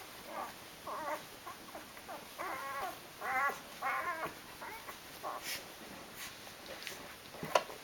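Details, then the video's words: Eight-day-old Rhodesian Ridgeback puppies from a five-pup litter squeal and whimper in a quiet room, with short harmonic cries in irregular bursts that swell into clustered, wavering calls around the middle and then fade to scattered faint peeps. "Rhodesian Ridgeback Puppies Day 8"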